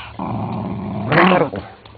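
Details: Pit Bull growling during a play fight indoors, a rough sustained growl that swells into a louder snarling burst near the middle, with a person speaking Spanish and music in the background.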